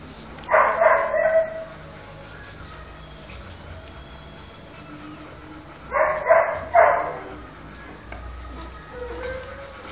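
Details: Newborn Rottweiler puppies nursing from their mother. Two loud bursts of high, harmonic whining cries, each about a second long, come near the start and again around six seconds, then a softer squeak near the end over a steady low hum.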